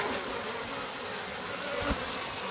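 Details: Japanese honey bees buzzing in a stacked-box hive in spring as the sliding bottom board is opened, colony growing active; a steady dense hum fills the clip, with a brief knock near the end.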